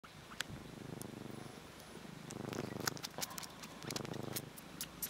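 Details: Domestic cats Kkabi and Yaongi purring while kneading; a low, rumbling purr swells and fades in soft rhythmic cycles, louder in the middle and near the end, with faint clicks and rustles of paws on fabric.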